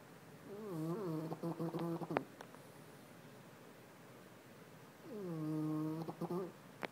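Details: French Bulldog snoring loudly, described as sounding like a baby raptor: two long groaning, whiny snore phrases near the start and end with harmonic, wavering tones, separated by quiet breathing and a few clicks.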